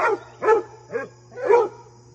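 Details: Four quick barks from Fred the basset hound during a visit from his deer friend, the third softer with a short arched yelp, a low steady hum beneath.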